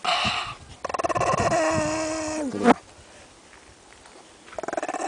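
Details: White Pekingese, ten years old, guarding a bone while eating and disturbed. A rough pulsed onset leads into a sustained, whiny, tonal growl that holds its pitch and then cuts off abruptly. A fainter pulsed grumble follows after a quiet pause.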